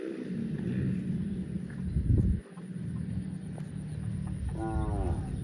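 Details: Low, steady droning moo from cattle held for several seconds, a brief louder burst midway, then a short higher wavering call near the end over faint outdoor hiss.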